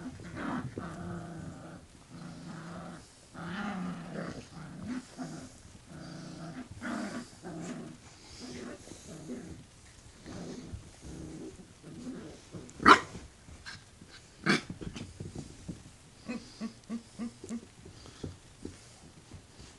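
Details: Brittany Spaniel puppies from a litter of five born August 28th 2011, indoors, playing and tugging at a teddy bear. Throaty growls come in repeated bursts with layered tones, broken by a few sharp clattering knocks and soft human talk.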